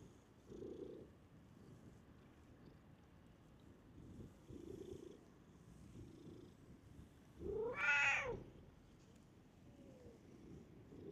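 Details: Stray cat living in a park, coming up to a familiar person: soft low murmured sounds early on, then one rising-falling meow near the end amid faint background noise.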